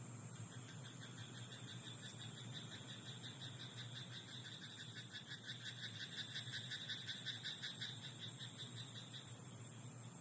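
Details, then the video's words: Night chorus of frogs in a rice paddy, pulsed croaks repeating quickly and evenly through most of the recording, set against a continuous high-pitched drone and faint low rumble. "田んぼのカエル "Croaking frog in rice paddy at night""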